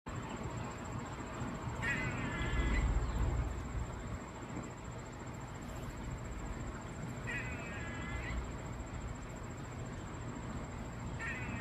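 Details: Squirrel giving an unusual noise: roughly one-second bursts of a nasal, wavering, harmonic-rich call, three times about every five and a half seconds, over constant low rumble and a thin steady high-pitched whine.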